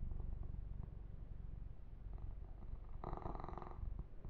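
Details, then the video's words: Continuous low purring from the kitten Yumak under massage and fur grooming, steady rumble building to a louder, brighter burst late on. "Kitten Massage - Perfect Sleep Helper Ear to Ear Purring"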